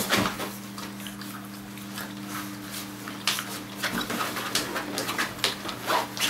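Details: Puppies just over six weeks old, a litter from Chara-Dechia van de Wodanahoeve and Chucky van Nekami, playing indoors: short sharp yips and scuffling bursts over a steady low mechanical hum in a small room.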